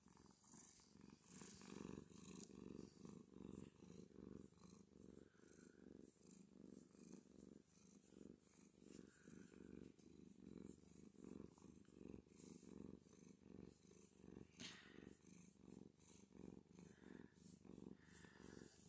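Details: Male cat purring loudly while being petted, a soft, steady rhythmic rumble pulsing continuously, with close breathing audible.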